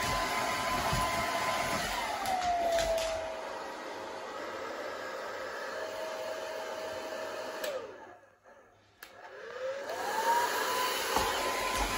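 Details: A hair dryer blows with a steady, whining roar that shifts slightly in pitch, cuts out briefly around the eighth second, then starts up again; no animal voice is heard.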